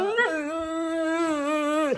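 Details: Siberian Husky, upset by loud Fourth of July fireworks and hiding in a hallway, gives a steady sustained howl lasting about two seconds, briefly rising at the start, then holding level before dropping away at the end; indoors in a small room.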